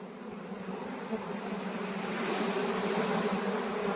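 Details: Swarming honey bees being transferred by a beekeeper into a modern hive; a dense, even drone with a low fundamental and a clear overtone, growing gradually louder across the moment.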